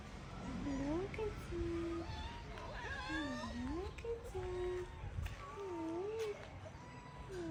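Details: Stray cats being fed give repeated clear meows, several drawn out, bending up and down, one after another with brief gaps, over quiet human voices and light background noise outdoors.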